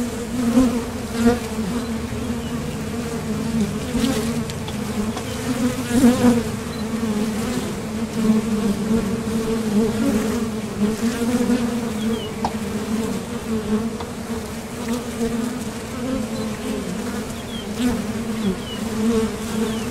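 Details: Honeybees at the mouth of a Top Bar Hive, flying out to the field for nectar and landing back; an unbroken, layered buzzing drone with occasional brief swells as single bees pass the microphone.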